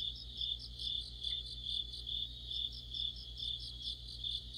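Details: Crickets with other insects singing together in mid-autumn under a streetlight; continuous high ringing trill overlaid by regular pulsed chirps, a low electrical hum beneath.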